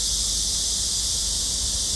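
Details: A chorus of cicadas near the end of summer 2023, recorded on a Wednesday at a garden of Hanbat Library in Korea, fills the air with a loud, continuous, high hissing buzz that holds without a break.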